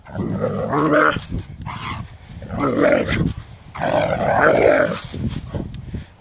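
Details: Doberman upset by a rake: drawn-out, harsh growling barks in three long loud bursts, each roughly a second or more, with a brief quieter pause between them.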